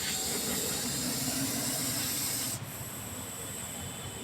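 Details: Russell's viper taken in during a snake rescue in India gives a loud, rough hissing exhalation lasting about two and a half seconds before it stops abruptly, leaving a low background hum.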